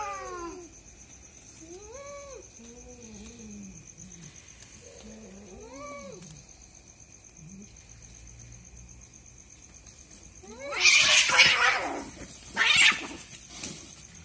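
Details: Two cats fighting at night, called a husband and wife pair; a series of short rising-falling moans, then a sudden burst of loud hissing, spitting screeches near the end, with a constant high-pitched whine in the background.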